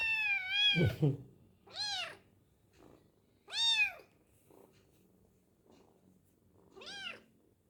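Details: Hungry kitten meowing while eating, indoors: four high, clear harmonic meows, each rising then falling, spaced about two seconds apart, with a brief low thump between the first two and a woman's quiet speech in Indonesian nearby.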